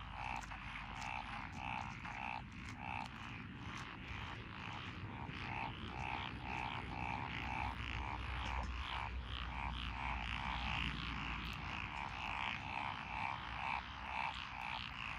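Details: Frogs, among them Japanese tree frogs, black-spotted pond frogs, wrinkled frogs, Schlegel's green tree frogs and forest green tree frogs, in lotus rice paddies by a country road in Echizen, Fukui, 12 June 2021: dense, steady pulsing chorus of croaks.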